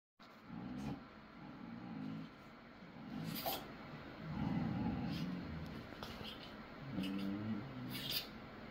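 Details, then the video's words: Dogs in a duet give low, wavering, moan-like vocal bursts of a second or two each, rising and falling in loudness over about eight seconds, over a steady low rumble with a few sharp clicks. "Doggy duet."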